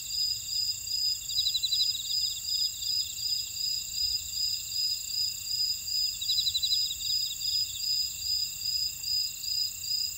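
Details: Chorus of grass insects in a buckwheat field at Ora-dong on Jeju, South Korea; continuous high-pitched ringing tones, a bright chirp repeating roughly every half second, and bursts of rapid buzzy trills that rise and fade.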